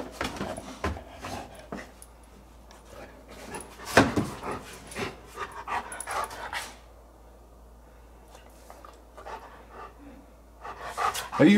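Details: Male Giant Schnauzer indoors gnawing a three-foot bone: irregular breathy panting bursts mixed with crunching chews, a quiet lull midway, then louder rapid bursts at the end.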